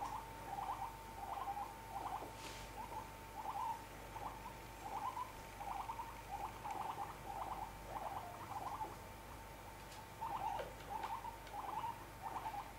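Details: Pet guinea pigs indoors giving a long run of short, quavering chirps. The chirps come in quick bursts about every half second over a steady faint hum, with a few soft taps and knocks.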